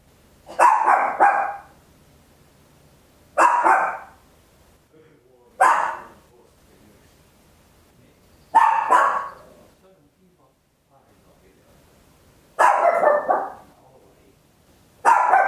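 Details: Small Papillon dog barking loudly at home, recorded in stereo on an Olympus LS-11: short sharp bursts, some doubled, spaced about two to three seconds apart, six bursts in quiet surroundings.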